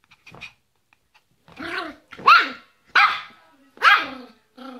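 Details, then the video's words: Yorkshire Terrier named Fido barking: a few soft sounds, then three sharp, loud barks about a second apart, each rising then falling, ending with a quieter bark. "Yorkshire Terrier, Fido, Barking"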